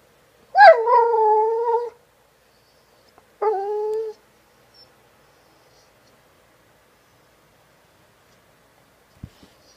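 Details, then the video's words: A female dog singing when mildly annoyed gives two drawn-out howling tones, the first starting high and sliding down to a steady pitch for over a second, the second shorter; quiet room otherwise. "Windy Sings"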